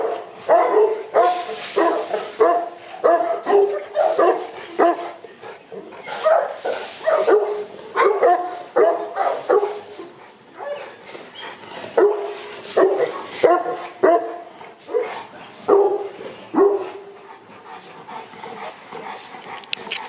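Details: Repeated loud barking from Boerboels at a kennel in Accra; rhythmic mid-pitched barks come in quick runs, overlapping from several dogs, then thin out toward the end.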